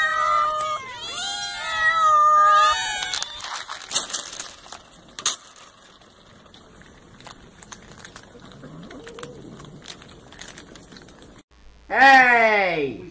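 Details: Domestic cats meowing to ask for food: a run of high, wavering, harmonic meows in the first three seconds, then clatter and quiet rustling, ending with one loud drawn-out meow falling in pitch.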